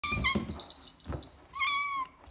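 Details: Domestic tabby cat being offered a Christmas treat gives one clear meow that rises then falls, after a person's voice calls to it indoors.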